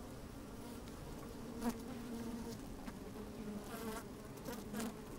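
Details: Honey bees busy at work inside an open hive on a fine, sunny day, microphone slid down into the hive: a steady low hum with brief louder buzzes and faint clicks of bees moving about.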